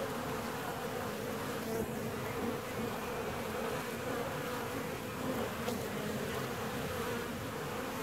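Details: Steady low buzzing drone from a honey bee hive 17 days after the colony was split, a continuous many-voiced hum with a few brief higher whines of single bees flying by, no other sounds.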